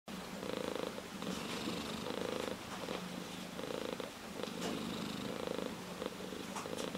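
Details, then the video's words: Ginger tabby cat (chatora) purring steadily, a rough rattling rumble swelling and easing in long breaths roughly every second or so, close and quiet indoors. "ゴロゴロ茶トラ Purr of a cat"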